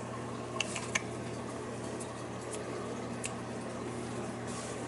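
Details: A steady fan-like hum and room noise with a few soft clicks and taps, and no animal voice.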